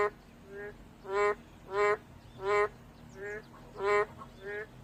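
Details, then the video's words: ['Boreal digging frog calling: nasal, honking calls with strong harmonics, about one per second, loud ones alternating with softer replies, over a low steady background hum.'] "맹꽁이 소리"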